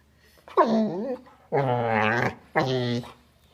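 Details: A dog makes three drawn-out, moaning vocal sounds with wavering, bending pitch while dogs communicate; the lower-pitched voice comes from the smaller female dog.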